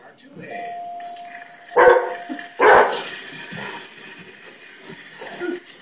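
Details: Riley, a half Labrador, half Great Pyrenees rescue dog, barks indoors at doorbell sounds while watching Wheel of Fortune on TV. Two loud, harsh barks come close together near the two-second mark over a steady electronic tone, followed by TV chatter and speech.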